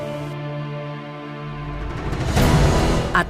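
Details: Sustained synthesized music with a swelling, noisy crescendo, and no animal sound.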